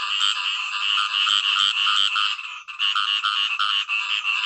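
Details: Calling khiat i-mo frog in nature: a continuous, loud, nasal rasping croak with rich harmonics, barely breaking, with only a brief dip midway before resuming just as strongly.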